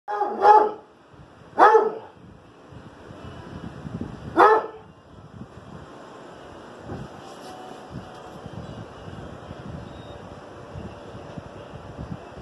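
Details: Pet dog barking out the window indoors: three loud, sharp barks in the first five seconds, spaced one to three seconds apart, followed by quieter room noise and faint shuffling.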